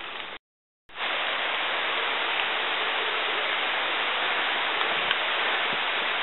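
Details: Steady rain hiss in the Panamanian jungle after a brief dropout, with no animal calls.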